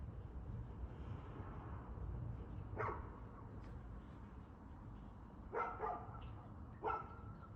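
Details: Barks of a dog, 2/6/2024 at 6:02pm, come sparsely: a single bark, then a close pair and one more, half-buried under a heavy low rumble like passing traffic.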